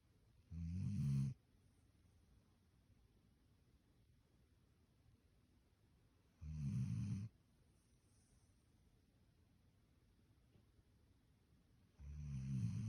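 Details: Standard Poodle sleeping soundly in bed, snoring in low rumbling bursts about a second long, spaced roughly five to six seconds apart, with quiet breathing between.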